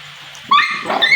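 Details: A dog crying because it wants to eat rice: a short, high, rising whine with clear harmonics after a quiet start, quickly followed by a second wavering cry.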